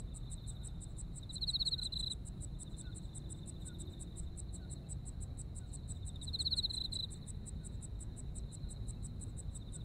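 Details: Insect chorus of a Japanese autumn night. A continuous high-pitched trill runs throughout with quick pulsed chirps above it. Two louder, rattling trill bursts come about five seconds apart over a soft low rumble.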